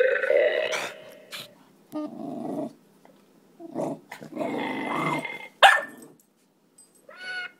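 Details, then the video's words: A mixed-breed pet dog (pug, Staffordshire terrier, Maltese and kelpie) reacting to a farting toy: harsh growls in uneven bursts, one loud sudden bark near the end, then a short whine-like tone before quiet. "Dog v farting dog toy"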